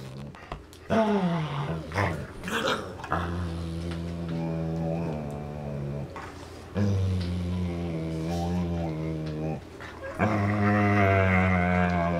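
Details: Two dogs, Dane and Polo, tug on a rope toy indoors; low rumbling growls with steady harmonic bands run in long stretches, broken by short pauses, with scuffling and a few sharper noises.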